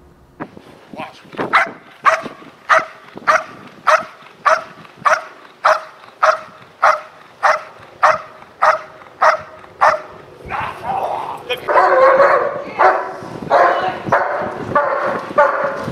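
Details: A dog in protection training barks in an even run of about sixteen barks, one every seven tenths of a second, before the sound gives way to loud applause and crowd noise.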